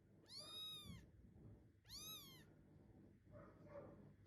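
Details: Munchkin kitten, weighing 558 g, meowing while searching for its absent mother indoors: two clear, high, harmonic-rich meows, each rising then falling and lasting about half a second, followed by faint rustling.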